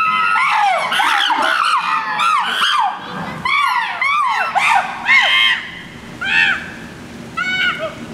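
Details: Several chimpanzees screaming, with a baby among them: loud overlapping arched shrieks, rising and falling, in dense bursts that thin out into spaced, repeated high screams toward the end.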